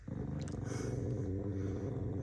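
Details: Angry corgi dog giving a continuous low, rough, rumbling growl lasting about two seconds.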